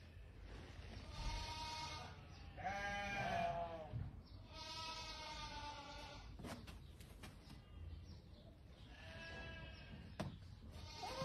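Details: A sheep on the Sidi Aissa road toward Chellalet El Adhaoura, Algeria, giving several drawn-out, wavering bleats about a second long, mixed with people talking and scattered clicks and knocks.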